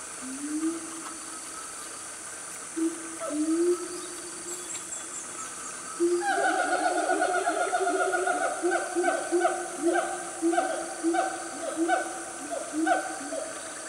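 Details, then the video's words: Loud siamang family, or gibbons, in Gunung Nuang forest, Selangor, Malaysia, at about 10 am: separate low hoots at first, then from six seconds a dense, pulsing run of barking, rising calls repeated about every half second, with constant insect hum behind. "Beautiful Sounds Of The Jungle"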